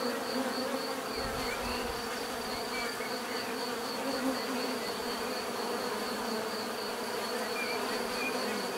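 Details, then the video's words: Bees droning continuously, a rich layered buzz with a steady high whine and a few faint chirps scattered across the background. "bees therapy relaxing natural buzzing sound"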